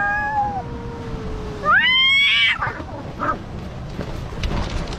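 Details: Fighting cat giving a long, clear moaning yowl that slowly falls in pitch, then a louder, higher rising wail that breaks off abruptly, leaving faint scuffling and background noise.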